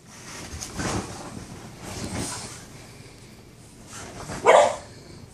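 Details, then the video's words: A Boston Terrier barking at his brother, another Boston Terrier, gives a few sharp barks, spaced irregularly, the last one loudest. "Boston Terrier Barking"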